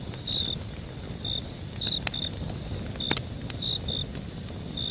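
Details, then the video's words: Crickets chirping on a calm night by a crackling fire; clipped high chirps, some in quick pairs, sit over a steady piercing trill, with sharp pops and a murmuring low background. "cricket sounds and crackling fire"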